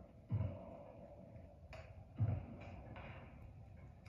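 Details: No animal sound is heard, only two dull low thumps and a faint click or snap over a steady hum indoors.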